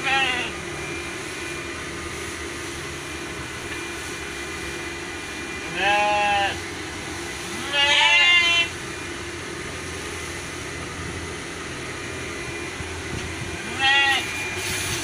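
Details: Merino sheep kept on a farm in Jogja, Indonesia, giving three separate bleats. Each is a wavering, nasal cry, spaced several seconds apart over a steady mechanical hum.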